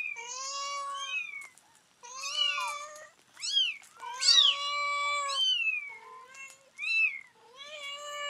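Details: Mother cat, rescued two days before giving birth, calls her kittens back after their weighing; July 23, 2011, kittens nine days old. Loud, drawn-out harmonic meows rise and fall, several long calls separated by brief gaps.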